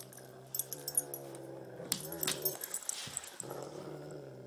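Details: Great Pyrenees and Tibetan Mastiff tugging in a game of tug of war, steady low growling under repeated clicks and knocks, jangling and scraping noises, a brief pause before growling returns.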